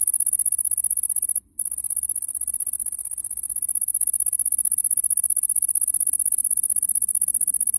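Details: A bush cricket in the A.Vogel gardens in summer 2021 sings a high, continuous buzzing trill to attract a female.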